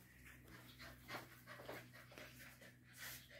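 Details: Labrador Retriever puppy, ten weeks old, in training, breathing in soft, rapid, airy pants. The puffs are faint and steady, with no other clear sounds.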